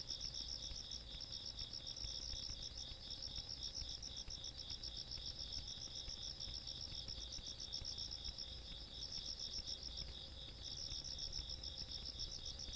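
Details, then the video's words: Countryside insects at night on 17 August 2022 keep up an unbroken shrill chorus: a sustained high ringing note beneath bursts of fast pulsed chirping that pause and restart, with distant low rumble underneath. "시골밤 벌레소리"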